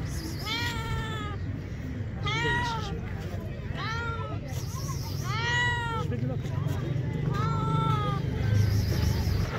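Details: Stray cats hungry for food utter five or so wailing meows, each bending upward then dropping, at uneven intervals of one to two seconds, with a continuous low-pitched outdoor rumble underneath.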